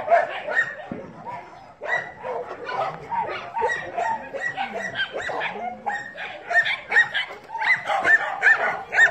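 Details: Several dogs keep up a dense run of barks and sharp yips, roughly two or three a second, with brief pauses, the calls rising into higher, strained yelps near the close.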